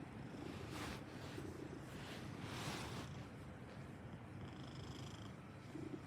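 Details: Clingy Maine Coon cat purring: a soft, continuous low rumbling purr with steady pulsing, close to the microphone, mixed with broadband hiss and faint rustling.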